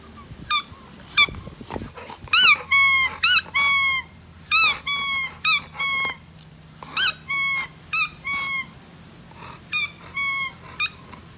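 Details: Eight-month-old Dogue de Bordeaux puppy whining in a long series of brief, high, tonal squeaks, each rising then falling, repeated roughly every half second in bursts, over a quiet indoor hum.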